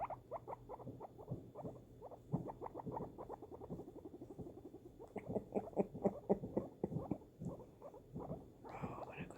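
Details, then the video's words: Pet guinea pig, a female, responding to fireworks with a fast, uneven stream of short harmonic chirps, nearly four a second, loosening into separate pulses toward the end. A brief noisy rush closes the clip. "guinea pig reaction to fireworks"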